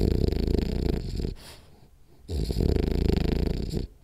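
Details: Napping French Bulldog Rolly produces a harsh buzzing snore, a quiet gap, then another drawn-out vibrating snore, steady and low-pitched.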